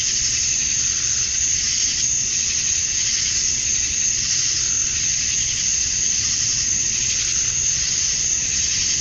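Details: Male cicadas at dusk on a Georgia, USA summer night, calling for females, produce a loud, sustained sizzling drone with regular soft pulses rising and falling throughout.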